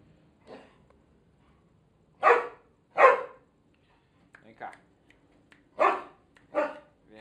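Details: Irish Setter Bina with a second dog, Alemão, doing their familiar dance before being fed: four loud, harsh barks in two pairs, separated by a pause, with soft coaxing speech from a woman between them.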